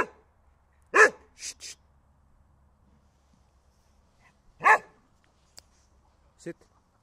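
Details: Holger the dog barking for a stick: one loud bark, two quicker softer barks, then another loud bark after a pause, with a faint click and short sound later.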